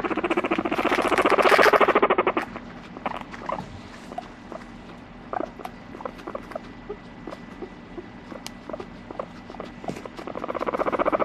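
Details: Moru-chan, a pet guinea pig, opens with a loud two-second stream of rapid pulsed squeaks, then falls quiet apart from scattered clicks and taps, before another fast pulsed calling bout begins at the end.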